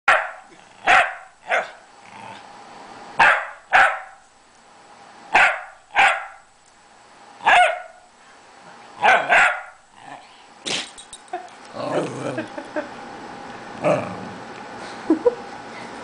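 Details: A very vocal male corgi "talks" to his owner: loud, sharp barks at irregular intervals, then grumbling, talkative vocal sounds.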